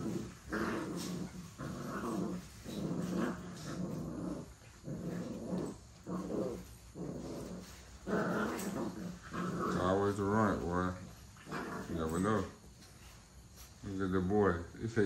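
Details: Several puppies play-fighting indoors give low, rough growls in short bursts, rising and falling through the fifteen seconds. Frequent pauses separate the growls. A man talks over them throughout, calling out which puppies are jumping on each other.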